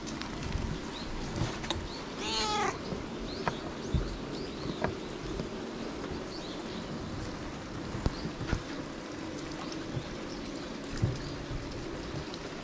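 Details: At a temple during a rain shelter, a white cat sitting on a lap being tickled on the head gives one short, clear meow early on, amid background rustling and handling noise; recorded with a GoPro HERO8.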